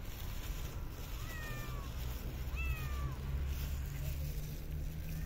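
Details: Stray cat fed outdoors in a park or street, two short descending meows about a second apart amid steady low hum and street noise.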